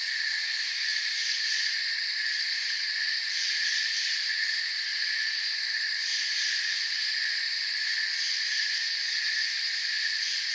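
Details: Crickets in a forest setting form a dense, unbroken chorus of shrill trilling at several steady high pitches, with faint pulsing at the very top and no other clear sounds.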